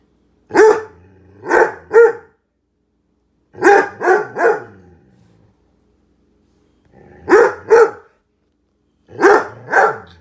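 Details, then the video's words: Domestic dog barking at a microwave heating soup, short clusters of two or three sharp barks separated by silent gaps; the owner then soothingly tells it to hush because it is only a microwave. "Dog barking at microwave"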